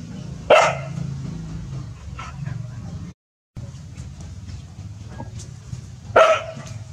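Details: Dogs Pao and Rank barking seriously at a snake in a village; two loud single barks about six seconds apart over low rumbling background noise, with a brief dropout between them.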